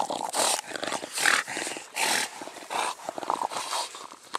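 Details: Mastiff-family dog, from a group listed as English bulldog, bull terrier and American bully, breathing hard: loud, breathy, noisy bursts of panting, a little more than one per second, in an uneven rhythm.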